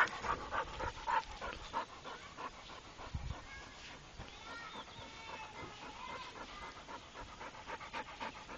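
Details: Rapid, rhythmic panting from Rako, a trained Pit Bull, fading in the second half, where faint thin squeaky tones drift over the breathing.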